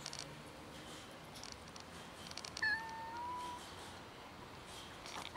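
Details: Street cat, one of many gathering for food with a new little kitten, gives a single drawn-out meow that rises slightly and holds for about a second over quiet background rustle.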